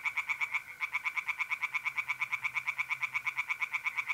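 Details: Nocturnal chorus of tree frogs at a pond in North-East Italy, mid-April: fast, rhythmic, rasping pulses about three per second, with one short break early on, over a faint steady mole cricket trill.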